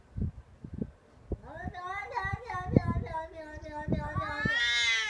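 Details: Cat yowling in a fight: scattered thumps and knocks, then a sustained wavering howl that rises and falls for about three seconds, ending in a higher, rougher cry.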